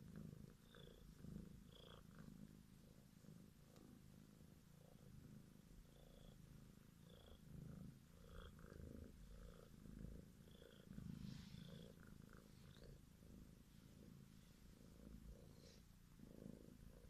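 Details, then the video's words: Grey domestic kitten, born February 2017 into a family of four kittens, purring: a quiet, steady low rumble pulsing roughly once a second, with faint soft rustling and small higher clicks throughout. "Dorombolás szép zöld szemű Mircustól"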